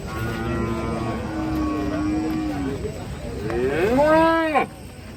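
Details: Cow mooing: a long, even, low moo that sags slightly at its end, then a second, louder call that swoops upward and breaks off sharply.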